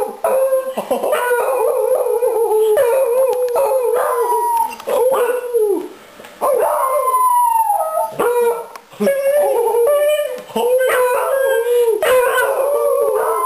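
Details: Beagles Conan, Princess and Daisy howl together as their owner arrives home. Choppy, overlapping howls rise and fall in pitch, with brief yips and pauses between bursts and a human voice mixed in.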